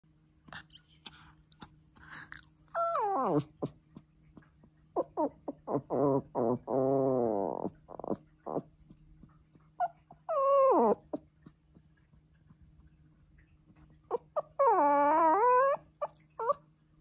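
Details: A Pomeranian puppy home alone and missing his owner howls in drawn-out, wavering tones that slide downward, broken by short yips.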